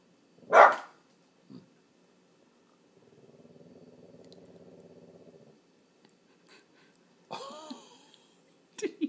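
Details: Tucker, a Boston terrier frenchton acting as watchdog, gives a single sharp bark, a soft huff, then a long low rumbling growl and two more short, harsher barks near the end.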